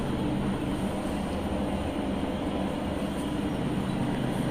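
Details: A constant broadband rumble like a passing train or vehicle fills the whole stretch, with no animal voice.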